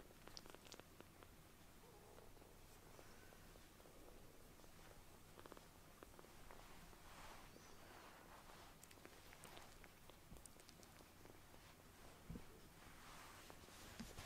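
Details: Palm-sized rescued kitten, newly taken in, purring while nuzzling for affection; a soft, steady low rumble runs under light rustling and handling noises.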